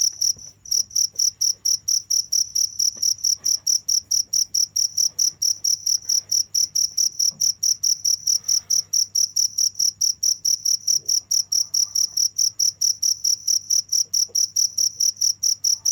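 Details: A cricket calling nonstop, rapid evenly spaced high-pitched chirps at a little over two per second, steady and unbroken, with a quiet low hum and scattered faint ticks behind.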